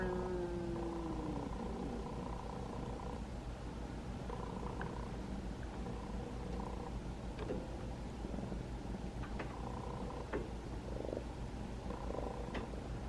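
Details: Rescued kitten, about five months old, trapped during TNR work, purring while being stroked on its twentieth to twenty-first day in care; a steady, low, rumbling purr runs throughout, growing louder, with a brief falling tone at the start and faint clicks.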